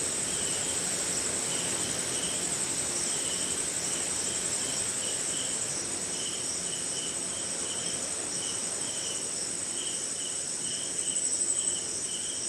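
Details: Night chorus of crickets in the rain, recorded in India: continuous high-pitched buzzing trill and regular short chirps about twice a second, above a soft wash of rainfall; a brief louder rustle near the end.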